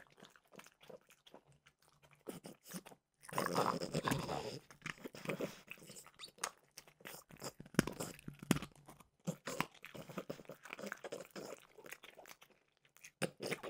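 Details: Snack time for Mimosa the French bulldog, eating Trader Joe's peanut butter flavored dog treats indoors; a loud burst of crunching early, then many quick irregular bites and chews.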